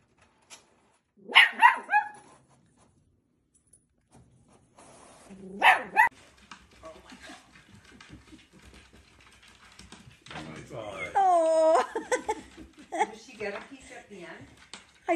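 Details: Dachshund giving two short bursts of sharp barks a few seconds apart, followed by a drawn-out, wavering whine or howl around the middle, then scattered yips amid household noise.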